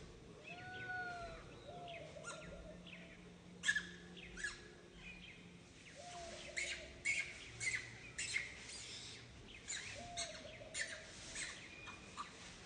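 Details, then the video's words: Young monkey Santo begging mother Sara for milk, giving plaintive arched coo notes that rise and fall, interspersed with runs of sharp squealing cries, repeated over several seconds against a quiet background. "Little Monkey SANTO cries so asking for milk Mama SARA so sadly"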